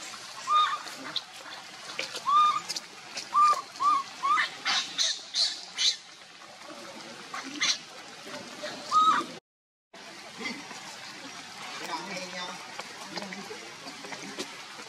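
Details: Baby monkey Leo crying to its mother, begging for milk because it is hungry: a series of short, arched, squeaky cries repeated every second or so, then a pause and one more cry, over a rustling, noisy background.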